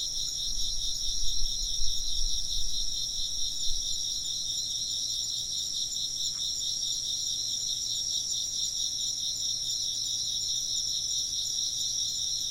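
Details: Chirping insects form a continuous high, pulsing chorus of layered trills, with low rumbles in the first few seconds and one brief faint tick midway.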